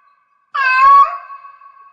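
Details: Single drawn-out meow of a cat in heat, loud at first then tailing into a long thin fading tone, recorded indoors.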